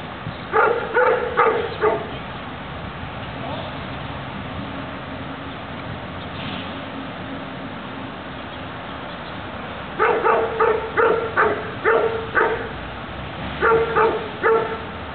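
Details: Doberman barking during a defence exercise: bursts of five or six loud, rapid barks near the start, then a long pause with a low background hum, then two more rapid barking bursts at the end.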